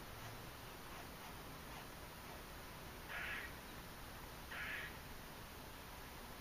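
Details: A squirrel in Margate, New Jersey, on October 28, 2012, the day before Hurricane Sandy, gives two harsh, nasal, raspy calls about a second and a half apart over steady background noise.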